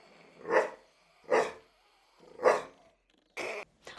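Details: Dog giving growly barks in play or as an invitation to play, higher-pitched barks preceded by a little rolling growl; four separate rough barks spaced roughly a second apart, then a brief clipped sound at the end.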